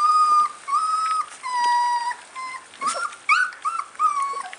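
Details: Several short to long whines from American bulldog puppies, thin and tonal, some held level and others sliding up, overlapping in quick succession with brief yelps.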